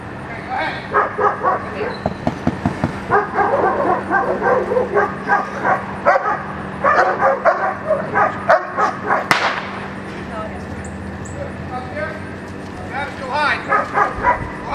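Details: Echo, a young German Shepherd practicing a Schutzhund 1 routine at the blinds, gives rapid bursts of loud, clipped barks in quick runs, pausing briefly between volleys, while a person speaks in the background.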